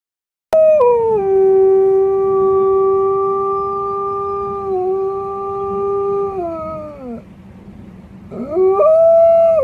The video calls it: Wolf Howling